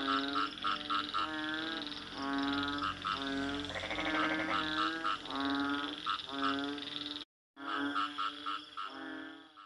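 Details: Frog croaks: rasping, harmonic pulses repeated in bursts of roughly half a second. A longer buzzy croak comes near the middle, and there is a brief silent break before the calling resumes.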